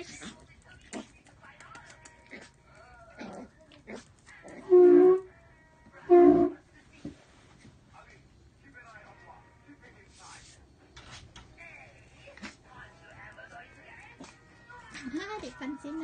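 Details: Miniature pinscher giving two loud, short barks about a second apart, each a harsh burst with strong low harmonics, amid quieter scattered clicks, faint whines and soft background music indoors.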